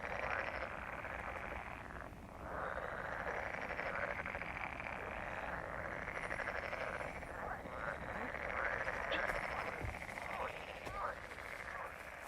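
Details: Chorus of frogs croaking, a continuous raspy wall of pulsed calls with slight swells, a few short brighter notes standing out near the end.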